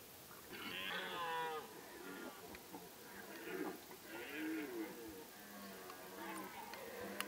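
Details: Several red deer roar at once during the rut in Kopački rit Nature Park, Croatia, a no-hunting reserve; their drawn-out, harmonic bellows overlap, rising and falling.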